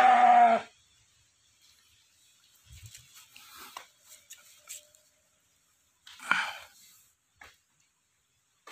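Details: A village breeding ram of about 90 kg gives one short bleat at the start. Faint rustling and scattered knocks follow, and a brief harsher sound comes near the sixth second.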